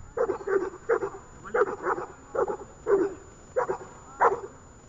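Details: Dog named Ajax barking during a training session in Horlivka on 31 January 2021: about ten sharp, mid-pitched barks in quick, uneven succession, singles and pairs, over quiet background hiss.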